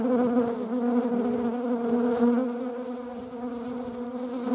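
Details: Honeybee wing buzz, a steady low droning hum with layered overtones, loudest through the first two seconds and then easing slightly; wasps are also present in the same setting.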